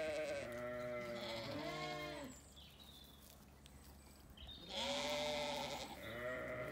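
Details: Ewes and lambs bleating in an orchard on a sunny day on a regenerative farm in County Kilkenny, Ireland; two long wavering harmonic bleats, the second starting near the five-second mark, with overlapping calls and faint birdsong.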